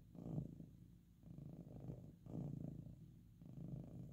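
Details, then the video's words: Loud purr of a pet cat lying down at rest, possibly being stroked; deep, vibrating rumble pulsing in slow waves, each swell lasting about a second, with alternating inhale and exhale phases and no other sounds. "Purring Sleeping"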